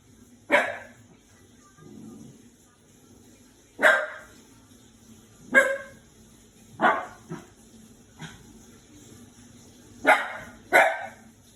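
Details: Five-month-old Shiba Inu puppy, frightened of a washing machine, giving sharp single barks at uneven intervals, about eight over eleven seconds, some in quick pairs, over a steady low mechanical hum.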